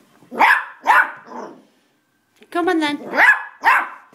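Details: Pet dog on the stairs, able to climb up but unwilling to come down, giving two sharp barks, a pause, then a drawn-out whining bark and two more barks while a person coaxes it.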